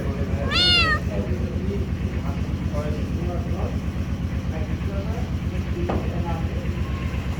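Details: Kittens meowing: one loud, high, wavering meow near the start, then a few faint short mews over a steady low rumble, with music and a voice saying hello in the background.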